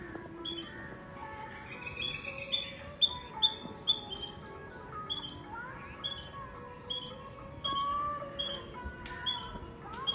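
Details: Squirrel in Nazareth, Tamil Nadu, India, giving short, sharp, high chipping notes in irregular bursts, each with bright ringing overtones, over steady tonal background music.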